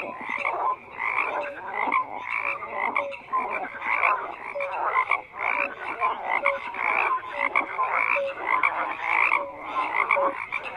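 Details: Frogs croaking in a dense chorus, many overlapping pulsed croaks and short tonal notes repeating without pause, energy stacked in bands across the mid range.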